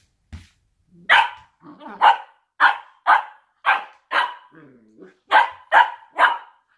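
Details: Blue roan working cocker spaniels, two dogs play fighting indoors; nine sharp, loud barks in quick bursts about half a second apart, with softer low grumbling sounds between them and a brief thump at the start.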